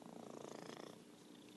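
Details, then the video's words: Short burst of fast, pulsing, grainy purr from Merlin, an orange tabby cat, fading after about a second. "Virtual Purring Cat"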